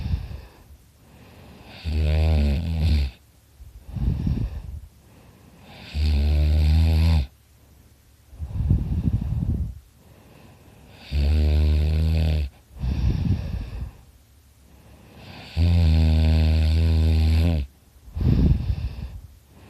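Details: Dakota the dog fast asleep, snoring hard: four deep, vibrating snores, each about a second long, come roughly every four seconds, alternating with gusty exhaled breaths.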